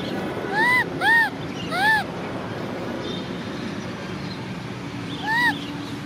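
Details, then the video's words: Orphan baby macaque Cola crying to ride a bike: three quick arched whining coos in a row, then a pause and one more, over a low background rumble. "Cola monkey cries because she wants to ride a bike! Baby Cola cries Orphan monkey mom"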